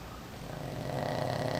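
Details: Boston Terrier snoring while asleep: a rough, breathy rasp that swells steadily louder over under two seconds, with low rumbling texture and no other sounds.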